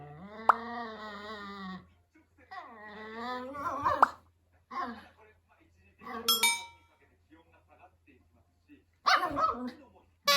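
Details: Female Toy Poodle indoors, sulking after wanting her older brother dog's toy: long drawn-out whining moans with wavering pitch, several separate cries, some sharp high squeaks, with brief human speech between them in a small room.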